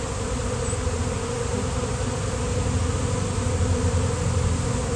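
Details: Swarm of honeybees appearing suddenly on a day of nice weather: a dense, steady, low droning hum that holds without pause, with a rough, throbbing texture throughout.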